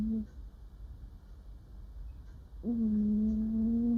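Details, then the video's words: Sleeping female cat murmuring while dreaming indoors: a brief low hum at the start, a quiet pause, then one steady sustained humming murmur lasting over a second. "Cat sleeps and makes cute noises while dreaming"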